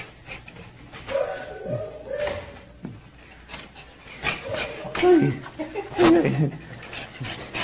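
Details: Sky, a fluffy male Shih Tzu, reacting excitedly on hearing he is going to Dog Dayz daycamp; drawn-out nasal whines and short yelps rise and fall in bursts, mixed with a person talking to him indoors.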